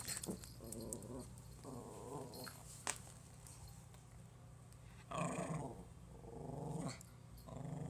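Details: Pomeranian puppy trying to scare its owner: low rumbling growls in several bursts of one to two seconds, separated by short quiet gaps, with a few sharp clicks and knocks in between.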